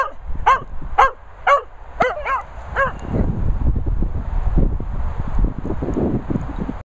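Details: Dogs, including a Vizsla, at a training and boarding kennels in the Worcestershire countryside: six sharp, high yelping barks about every half second, then rustling and scuffling noises.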